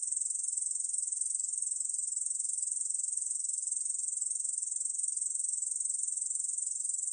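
A Korean field katydid gives a steady, high, finely pulsed buzzing trill without a break.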